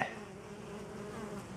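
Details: Many honey bees coming in to a DIY pollen substitute, wild pollen having been washed from the flowers; continuous droning hum of massed wings, even in loudness, with a short knock at the very start.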